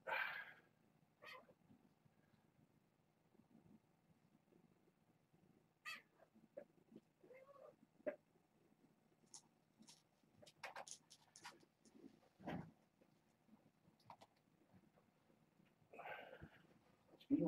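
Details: Kittens from the litter of Nala Se, a year-old former stray at Purrfect Pals who gave birth to seven on June 21st, rushing a fence in an indoor pen. Brief high meows open the clip and return near the end, among scattered clicks, scratches and rustling.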